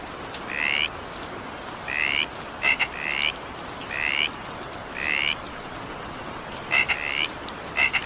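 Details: A frog calls in evening rain, giving brief buzzy rising croaks every second or so, with paired clicking notes mixed in, all set against continuous rain patter.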